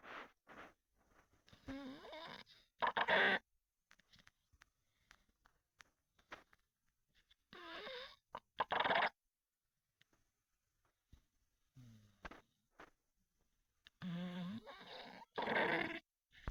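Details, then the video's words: A sleeping male Olde English Bulldogge snores in loud, rattling bursts every few seconds. "my old english bulldog buddy snore"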